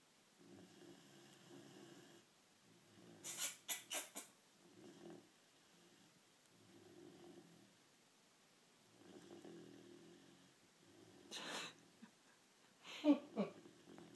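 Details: Tylie Jane the dog snoring indoors, soft low rasping breaths in uneven bursts a few seconds apart, broken by brief sharp clicks and rustles.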